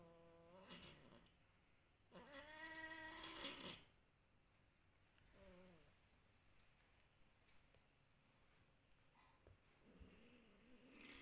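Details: Kampung cat giving a series of meows: a short one, then a longer loud wavering meow, followed by two brief quieter calls and a faint low final meow, over steady indoor background hum.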